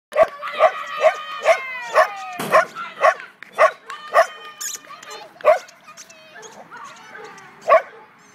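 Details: Renascence Bulldogge at flyball: a run of sharp, clipped barks, about two to three a second, some with short rising yelps between them, then sparser barks over quieter background chatter.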